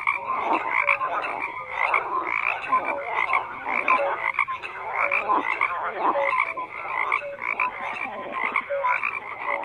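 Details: Steady frog chorus of grating, pulsing croaks from numerous callers, mixed with scattered brief tonal pips, no other sounds.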